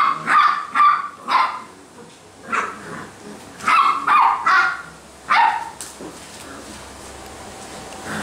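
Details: Basset Hound puppies at a kennel in Brazil letting out a few high yips and barks in uneven groups, then falling quiet for the final seconds.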